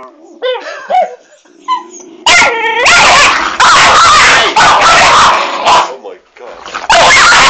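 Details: Pet dogs Pixie and Rolo squabbling indoors over an uneaten treat; whiny wavering growls lead into a long burst of harsh, loud snarling and barking, with a person's voice in the background.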